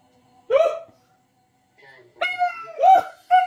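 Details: A Siberian Husky sings along with its owner, giving short, rising, yodel-like howls with a bright, nasal tone.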